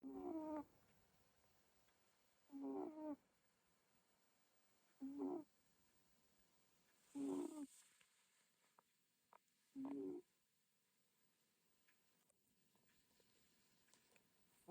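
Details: Cat snoring, recorded 3 June 2026: soft, tonal, rising-then-falling snores repeated roughly every two and a half seconds over a quiet room background.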